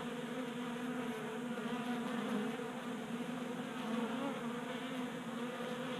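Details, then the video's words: Honey bees feeding at a 3D printed tabletop feeder in a Colorado garage on a warm January day, their wings giving a steady layered buzzing hum that wavers gently in pitch throughout. "Honey Bees Feasting from 3D Printed Bee Feeder"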